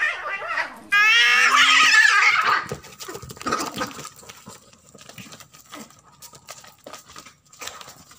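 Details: Cats fighting over territory indoors: a sudden loud, harsh screech with a dense stack of harmonics lasts about one and a half seconds. Quieter scuffling, rustles and clicks follow, with a faint steady tone underneath.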